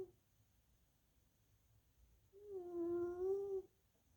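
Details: A single whistling snore from sleeping tuxedo mama cat Little Missy, its wheeze left over from a bad bout of sinusitis and bronchitis; one steady, tonal breath of about a second after a quiet pause indoors.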